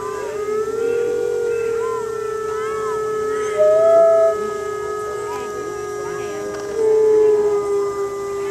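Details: Arctic wolves at a zoo pause their morning play to howl together in the morning, long steady notes overlapping with shorter rising and falling cries.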